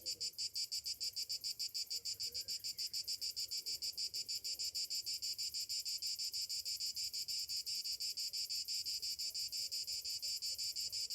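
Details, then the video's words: On a summer morning, cicadas keep up a loud, high buzzing that pulses rapidly and evenly, about three beats per second, with a brief faint whistle early on. "Morning summer cicadas sounds"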